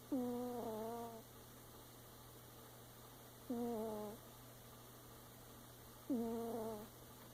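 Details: A mother cat snoring in long, droning, harmonic breaths that drop slightly in pitch and last about one second, returning every three seconds against a constant electrical hum.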